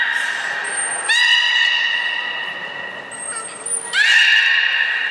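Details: At Port of Nagoya Public Aquarium on 3 May 2019, during gate training before the 11:00 public session, a beluga gives a thin, high held whistle followed by a sudden buzzy, nasal tone, twice over.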